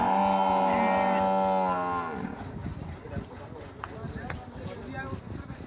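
A Murrah buffalo gives a long, deep, steady moo that drops in pitch as it ends.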